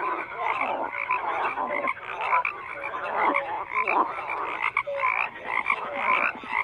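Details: Many frogs calling together: a steady wash of rough, throbbing croaks with occasional short whistle-like notes rising above the din.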